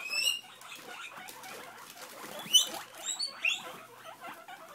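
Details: Pet guinea pigs, a mother and her babies, begging for lettuce: sharp, upswept whistling squeals at the start and again around the third and fourth seconds, amid rustling and patter.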